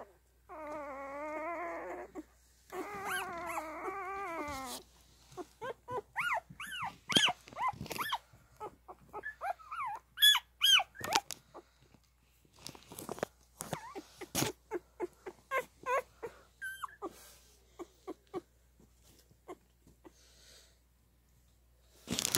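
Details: Two steady, nasal whines open this stretch from nursing newborn Standard Poodle puppies, followed by a long run of rapid squeaks, chirps and clicking suckling noises, irregular and dense, fading toward the end.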